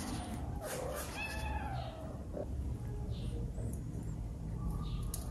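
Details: Female kitten that wants to eat a big fish it sees in a dish gives a short meow with layered harmonics about one second in, over a steady low hum and faint clicks.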